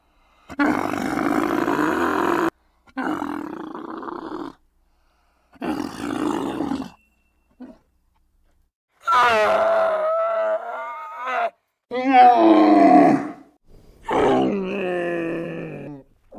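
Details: A domesticated dromedary camel makes a series of guttural bellows, then several wavering, more tonal groaning calls with rising and falling pitch, broken by brief silences.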